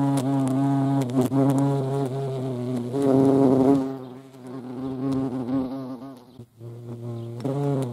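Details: European hornet (Vespa crabro) at a feeding place, a deep droning wing buzz with rich overtones that wavers in pitch for about four seconds, then fades to a faint hum before swelling again at the end.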